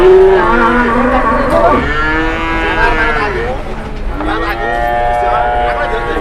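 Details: Cattle at an Indonesian market where a cow causing a commotion lies down and refuses to get up; several drawn-out harmonic moos overlap, one rising and falling, with another low bellow near the end amid a murmur of crowd noise.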